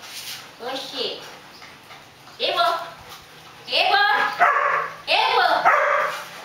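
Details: Belgian Malinois dogs Sam, Archer and Alfa during a training session with French commands: four loud harmonic barks, roughly one to two seconds apart, with people talking and praising and background music.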